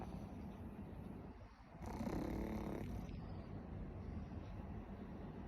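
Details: Warabi the pug snoring in sleep: a single rough, rattling inhaled snore of about a second rises out of a low, steady breathing rumble.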